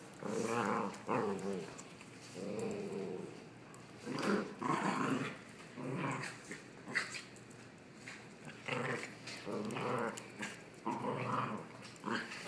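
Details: Two dogs horsing around indoors, growling at each other in play: rough, throaty growl bursts with harmonic bands, coming in uneven bouts of one to two seconds separated by brief pauses and scuffling noises.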